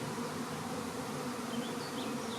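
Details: A swarm of Western honey bees moves into a bait hive in May 2019, making a dense, steady, low droning hum without pause.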